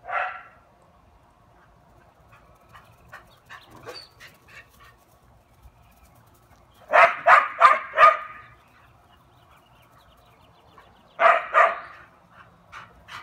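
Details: Taco Gary, a dog, gives one sharp bark, then faint scattered yips, a tight burst of four loud barks around the middle, and a later run of several barks, over a low steady hum.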